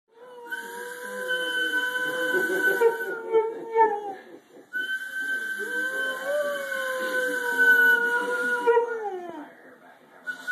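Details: Pet dog howling indoors, two long, sustained, slightly wavering howls of about four seconds each that sag in pitch at the end, with a steady high electronic whine in the background.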